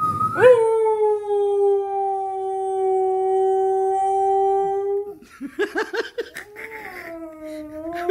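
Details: A Siberian husky sings into a microphone: a long, steady howl, then wavering yips and a falling howl.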